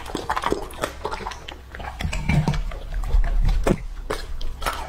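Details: Lucky, a two-and-a-half-year-old male English-type Labrador Retriever, eats raw meat indoors. Wet, irregular crunching and chewing bites come in quick bursts over low thudding, with a few sharper clicks.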